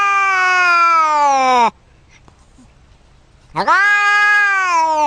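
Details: Domestic cat making strange sounds: two long harmonic meows, the first sliding downward at its end, the second rising sharply then holding steady, separated by two seconds of near silence.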